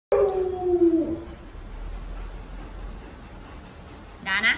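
An Alaskan Malamute gives a brief, mellow howl that slides gently downward, then a rising cry follows.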